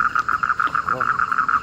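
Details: After winter rain at night, large frogs call from a village household pond in Bengal; quick regular pulsed croaks repeated about seven times a second, with a brief low voice-like sound in the middle.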